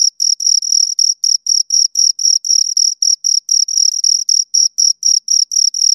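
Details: Close crickets chirping, two of them, shrill tonal bursts repeating around four per second in a steady, insistent rhythm, nothing else audible.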